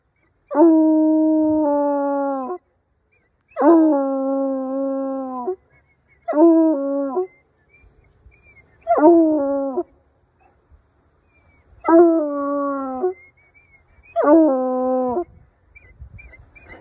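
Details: Hound dog howling in a series of six drawn-out tonal howls, each a couple of seconds or shorter, with brief pauses between them and faint background noise.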